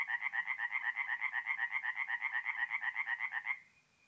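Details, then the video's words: Tree frogs calling by night from a forest pond in north-east Italy during mid-April; fast, even, rhythmic croak pulses, around four each second, run for three and a half seconds before cutting off, with faint low background rumble. "relaxing forest pond by night with singing tree frogs"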